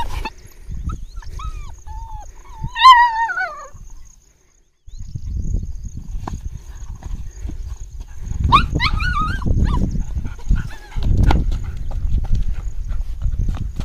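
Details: German Shepherd at play, giving high, wavering whining yelps with strong upper harmonics: a drawn-out sliding series early on, then a second shorter burst, over low rumbling handling noise and rustling outdoors.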